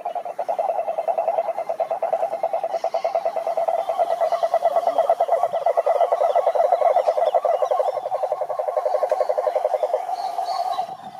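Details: Chorus of cururu toads, Rhinella marina, calling in a lake in the Brazilian Atlantic Forest: several toads overlap in a loud, continuous low pulsed trill that barely pauses, with soft higher insect-like chirps in the background.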